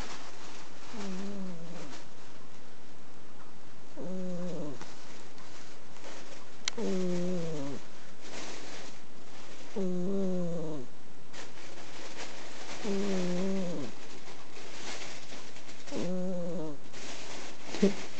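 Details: Asleep on a futon next to a person, Penny the Exotic Shorthair gives six rhythmic snores spaced roughly three seconds apart. Each is a short, nasal, harmonic rasp falling in pitch. A faint click near the end.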